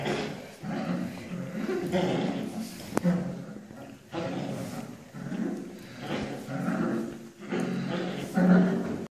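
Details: A 7.5-week-old toy poodle puppy, playing rough and biting an ankle, gives low, rasping growls and yaps in bursts.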